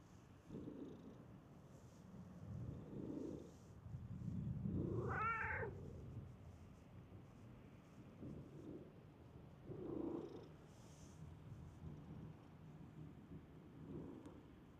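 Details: Stray cat in a park, running up on seeing a familiar face; one short rising meow near the middle with a few softer low murmurs around it, over steady low background rumble.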